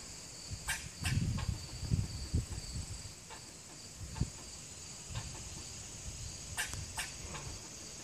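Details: A squirrel in Lakeside Chautauqua, Ohio, gives short, sharp barking chips at uneven intervals over a steady insect drone.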